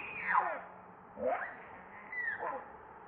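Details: Baby monkey named Leo crying and begging its mother for milk; three loud wavering whining cries, each sweeping up or down across a high pitch range, spaced about one second apart, with a faint low hum beneath.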